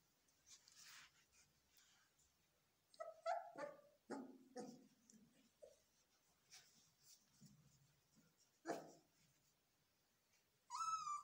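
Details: Belgian Malinois puppies in training, screaming indoors: scattered short yelps and barks with long quiet gaps, a loud burst near nine seconds, and a high rising squeal at the very end.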